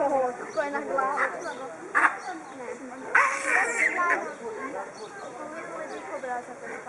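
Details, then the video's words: Fighting male baboons guarding harem females: overlapping quavering screams and chattering cries from several animals, punctuated by sudden harsh noisy blasts around the second and third seconds. "Pavian Kampf Baboon Fight Territorial"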